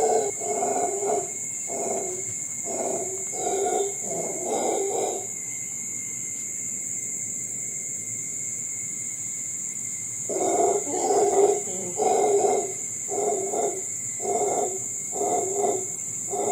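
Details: Howler monkey sounding off in the Costa Rican forest, an eerie sound. Rhythmic bursts of hoarse, throaty roaring pulses arrive about once a second for five seconds. A pause follows, then another run of pulses. A steady high insect drone continues throughout.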